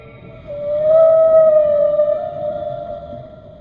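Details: Whale producing a single sustained, pure-toned moan with bright overtones, holding a nearly level pitch for about two seconds before slowly fading over a soft low rumble.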